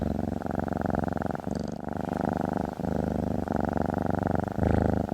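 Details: Purring from a female house cat lying on a desk: low, rattling, continuous vibration with rhythmic breath-linked swells and a couple of brief dips.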